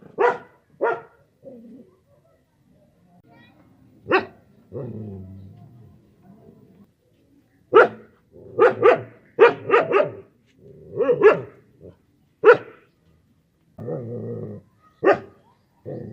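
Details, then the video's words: Dog barks loudly, first in isolated single barks, then in a quick run of several barks, with a low muttering voice heard in the pauses. "Dogs Barking sound compilation | Tiger Dog Barking sound effects"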